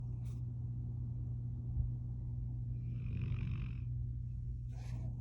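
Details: Pit Bull puppy Ory snoring while lying asleep beside his mother, a steady low droning rumble held throughout, with a soft breathy hiss midway and faint rustling near the start and end.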